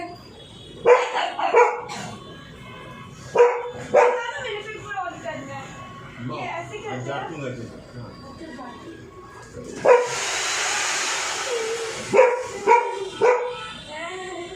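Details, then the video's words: Frightened dog barking at the noise of a drilling machine: sharp harmonic barks in short bursts near the start and again around a loud hissing drill burst, with background music and a voice. "dog Is Scared Of The Sound Of Drilling Machine"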